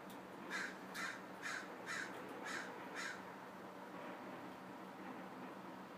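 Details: Douglas squirrel, also called chickaree or pine squirrel, giving six short, rough, bark-like notes about every half second. They stop after three seconds, leaving quiet background hiss.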